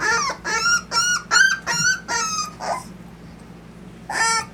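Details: Miniature Dapple Dachshund puppies, Austin, Colorado: six short, bright yelping cries follow each other roughly twice per second, then comes a pause of near quiet before one last yelp.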